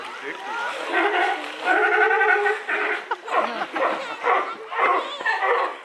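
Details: Sea lions at feeding time in Odense Zoo, Denmark, 16 February 2013, give hoarse, drawn-out honking calls and short barks, with people's voices and splashing nearby.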